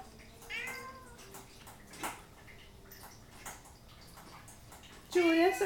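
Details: Hungry house cat among Hyacinth, Otis and Julius waiting for their Saturday breakfast gives a fairly soft, rising-then-falling meow early on, then scattered small clicks; a person starts talking loudly at the close.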